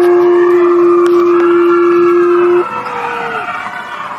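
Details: A female wolf howls at the Wolf Conservation Center, South Salem, NY: a sustained even note that cuts off partway, then a softer, slightly higher tone glides downward while fainter overtones linger beneath.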